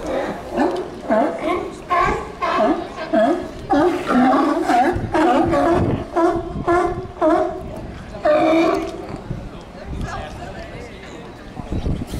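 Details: Sea lions in a herd on the docks at Newport, Oregon, barking almost without pause: rough, throaty honks overlap in a steady chorus, some rising and falling, with louder bursts around the middle before easing off near the end.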